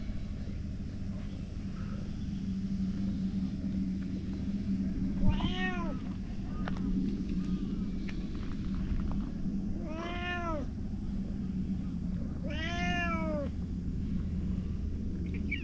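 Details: Boss stray cat calling loudly as the other cats gather; three arched meows, rising and dropping, several seconds apart, against steady low-pitched traffic noise outdoors.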